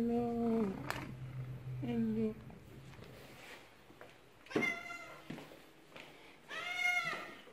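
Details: Tulip, a male pet cat, greets his human returning after three days away; a person's repeated hellos come first, then two bright, drawn-out meows a couple of seconds apart, indoors.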